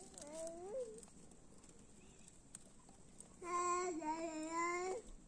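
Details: A cat described as naughty and wanting to be loved gives two harmonic meows: a short wavering one first, then after a quiet pause a longer, steady, drawn-out meow that ends with a slight drop, in a quiet indoor setting.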